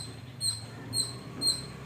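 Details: At a home where squirrel and sparrow calls are always heard, a squirrel gives short, sharp, thin, piercing chip notes about twice a second, calling on and on near a banana plant before running off; faint low hum underneath.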